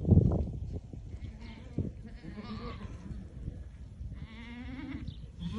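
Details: Herd of ten white Awarid goats with a buck, does in kid, in Al-Summan; faint, trembling bleats early on, then a clearer quavering bleat toward the end, over low rumbling noise.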